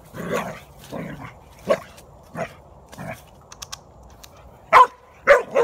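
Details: Archie, an Australian Shepherd–border collie mix, barks while facing off with a groundhog, recorded 18 September 2018; a run of rough, evenly spaced barks roughly every second, ending in three louder, sharper barks with faint clicks between.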